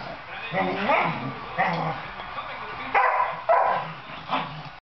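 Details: Eight-month-old Soft Coated Wheaten Terrier playing with another dog, on and off a couch, gives short sharp play barks and yips near the end, mixed with human voices and growly playful noises.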